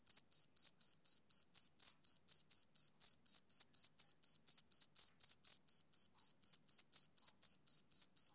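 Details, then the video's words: A male cricket chirps on a summer evening, giving crisp, high-pitched pulses at a constant pace of about four each second, with short gaps between them and nothing else audible. "Cricket Chirping Sound Effect"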